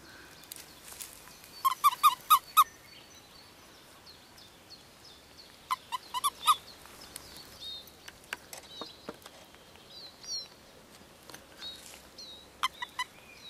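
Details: Mating-season frog chorus at Kassinurme, recorded 25 April 2011: quick runs of four or five low knocking pulses in bursts, scattered clicks between them, and thin high bird whistles and chirps in the background.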